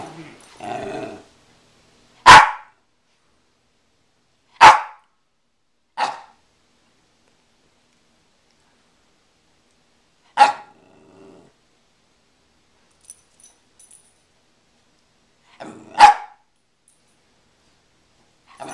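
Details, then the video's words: Two pet Rat Terriers, Angel and Oreo, playing over a stuffed squirrel: loud, sharp single barks, about five of them, spaced irregularly by several seconds of quiet, with a brief murmur of voices at the start. "Rat terriers playing"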